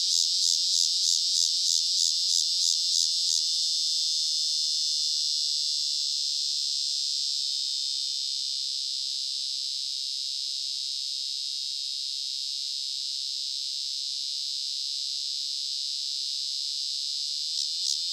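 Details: A male Walker's cicada, Megatibicen pronotalis, a large annual cicada of Illinois and the Midwest, gives a loud, high, hissing song whose slow pulses alternate with periods of steady buzzing.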